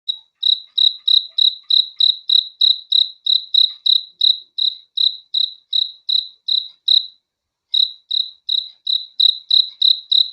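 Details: Cricket chirping at night: clean, high, ringing pulses repeated steadily about three times a second, with one brief pause near the middle, on an otherwise silent background.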